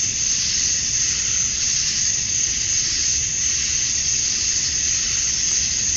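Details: Male cicadas calling at dusk on a summer night in Georgia, USA, to attract females: a dense, continuous high-pitched shrill buzz with a faint slow pulsing throughout, no other sounds standing out.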